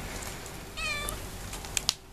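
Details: Two-week-old kitten, one of two babies kept with their mother, lets out a thin high meow that rises then falls, followed by a few sharp clicks and a woman's voice nearby.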